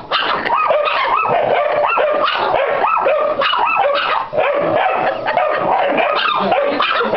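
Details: Pit Bull x Yorkshire Terrier mix dog barking in a rapid, nearly continuous run of sharp, yelping barks with only brief breaks, each bark rising and falling in pitch.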